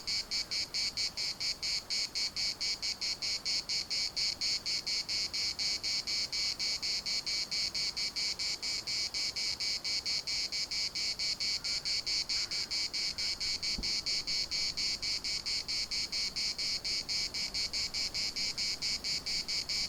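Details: Chorus of cicadas at Larnaca's municipal park, a dense high-pitched rasping buzz throbbing in fast regular pulses, roughly two per second, without pause for twenty seconds; a faint thump midway.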